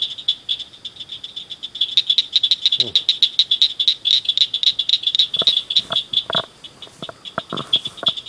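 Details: Several small frogs calling at night from a roadside ditch and culvert, giving loud, high, clicking chirps in a fast, uneven stream, about four per second. Near the middle a brief low rumble passes, and some lower clicks follow.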